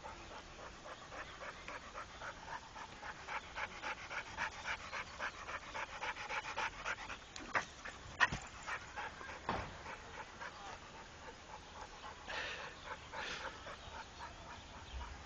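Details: Rako, a trained Pit Bull, panting in a long run of fast, regular breathy huffs, broken by a few sharp knocks midway before the breathing grows fainter.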